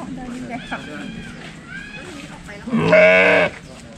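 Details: A sheep being hand-fed grass gives one loud, wavering bleat after a few seconds of quiet human talk.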